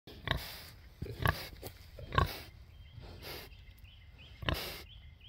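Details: Curious Hereford pig on a farm giving short, rough, low grunts, about five scattered bursts within five seconds, separated by quiet snuffling.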